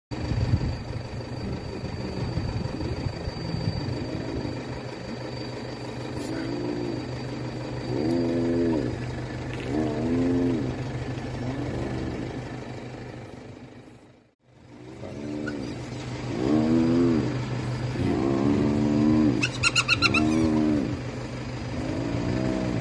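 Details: Spotted hyena in Kruger Park giving a run of arched, moaning calls that rise and fall, over a steady engine hum.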